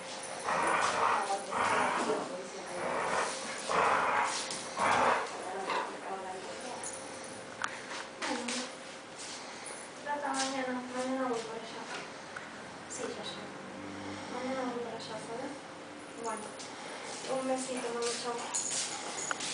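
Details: Two dogs, a poodle and a bobtail, playfully attack a plush worm. High, harmonic whines and yips come in short bursts. People talk and music plays throughout.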